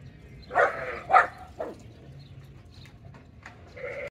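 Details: Goats at Finca Altozano giving a rapid series of three bleats, each shorter and quieter than the last, then a low hum and a final bleat rising at the end.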